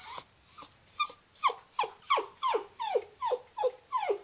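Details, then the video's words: Pet Cairn Terrier Scruffy, a female, whining with her stuffed hedgehog toy: about a dozen sharp, descending nasal whimpers in quick, steady succession, roughly three per second. "Aunt Duddie Has A Whiney Little Dog"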